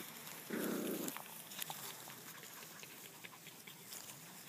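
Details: Playful, friendly puppies from a litter, with an adult female babysitter named BBF Turtle Dove nearby. One short, rough, low growl lasts about half a second, followed by faint scuffling, patter and light clicks.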